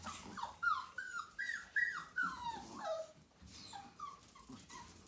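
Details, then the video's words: Month-old whippet puppies whine in high, drawn-out tones that slide downward. Several cries come in quick succession, then a short pause before softer, lower whimpers follow. "Bébés whippets 1 mois et 3 jours"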